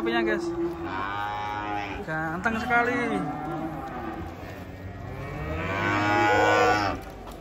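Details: Massive cattle descending from a truck in the morning; several bellowing moos with curved pitch sweeps, then a long, loud sustained low at the end, amid people talking nearby.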